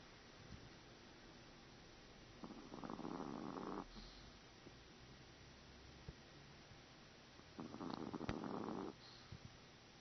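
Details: Chihuahua Cub-Lui snores while asleep, two drawn-out, grating inhalations just over a second long spaced about five seconds apart, steady and rhythmic, with faint clicks and low background hum between breaths.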